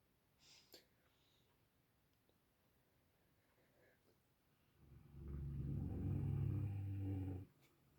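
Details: Sleeping dog snoring indoors: after a quiet stretch with a faint click, one long, deep, rumbling snore rises and holds steady for about two and a half seconds, then stops abruptly.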